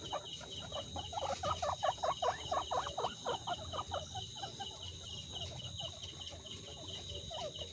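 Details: Guinea pigs kept in cages stacked three tiers high give a rapid run of squeaky, chirping calls, several bursts a second, strongest through the first half and then fading, over a steady high-pitched background hum.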